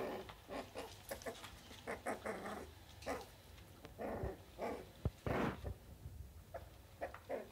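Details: A female Cairn Terrier, recorded 23 April 2016, gives a series of short, rough barks mixed with low growling grunts in irregular bursts about every half second, with a few sharper yaps near the end.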